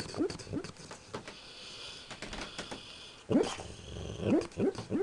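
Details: Dog asleep during a nightmare, letting out brief high upward-sliding whimpers: a pair at the start, then a cluster of sharper yelps near the end after a quiet gap.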